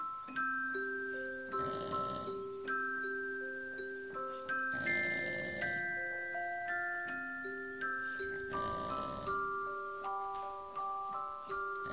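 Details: Glockenspiel or xylophone-like mallet music plays a gentle repeating melody of bright struck notes, each ringing and fading, with no animal sound.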